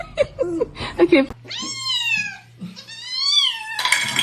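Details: Domestic cat giving two long, drawn-out meows, each holding a steady pitch then sliding lower. Clattering and a person's laughing speech come first, and a low steady hum runs underneath.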